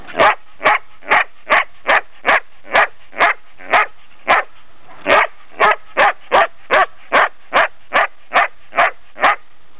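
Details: A female Belgian Shepherd, nearly ten months old, barks in a fast, steady series of sharp, clipped barks, about two each second; recorded 3 March 2007 in Brno, Czech Republic.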